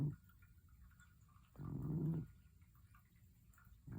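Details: Pet cat snoring while asleep; a deep, rough snore of about half a second sits between quiet pauses, with the next breath beginning at the close.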